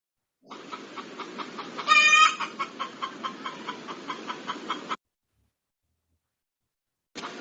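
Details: Pig in a children's lesson on domestic animals: a breathy snort followed by repeated loud, rough squealing grunts spaced about half a second apart.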